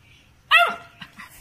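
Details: Labrador Retriever puppy kept as a pet lets out one strong, harmonic-rich bark that falls slightly in pitch, then two much softer short yips follow in an otherwise quiet room.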